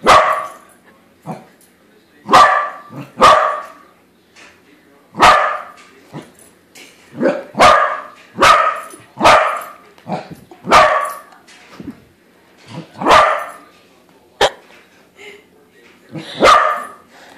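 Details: Corgi meeting a corgi balloon and barking at it, a long run of loud, sharp barks at uneven intervals, often in pairs, with short quiet gaps between bursts.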